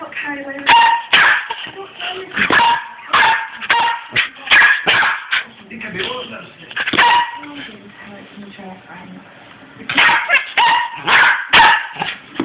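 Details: Young Cairn terrier x Westie cross, six months old, in an excited fit, giving bursts of short yapping barks in clusters, with pauses, over steady human talking in the background.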